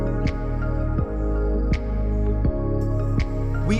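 Soft, sustained new-age music with gentle low tones and periodic soft accents; no animal sounds are heard.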